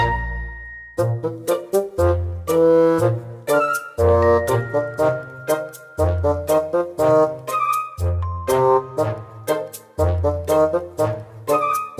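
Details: Upbeat brass-led music with trombone and trumpet-like tones plays in a bouncy, repeating pattern of chords and chimes, and no animal voice can be heard.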